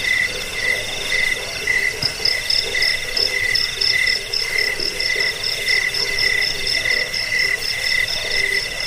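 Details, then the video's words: Crickets used as a rat-repelling, sleep-inducing and bird-training sound: regular high chirps about twice a second mingle with a thin, fast, ringing pulsed trill from a second caller. "Suara jangkik pengusir tikus pengantar tidur"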